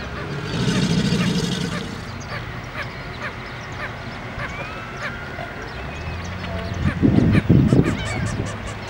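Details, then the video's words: Male American alligator bellowing at a birding center in Port Aransas, Texas: a deep, rough, rumbling burst lasting over a second, then quiet, then a second, louder and more pulsing bellow near the end, with bird calls and thin whistles behind. "Alligator Bellowing"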